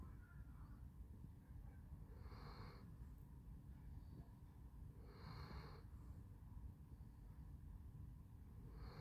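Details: Sleeping Basset Hound Handsome Jack gives three hoarse, wheezy snores about three seconds apart, each a soft airy burst rising out of a steady low background rumble.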